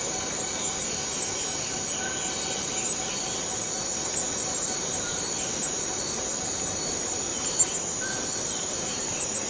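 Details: Continuous electric-sounding whine of a cicada in Borneo's rainforest, flat and sustained for the whole stretch, with brief faint whistles and soft clicks behind it.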